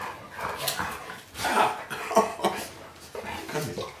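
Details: Two Golden Retrievers, a 14-year-old and a nearly two-year-old puppy, playing indoors in Hampstead: a few short, sharp barks and yips in scattered bursts, with a person talking and laughing between them.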